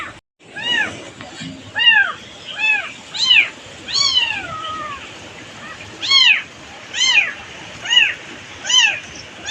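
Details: A motherless kitten in village farm life cries in distress; high arched meows at irregular intervals, one longer drawn-out falling meow, with some speech and background murmur.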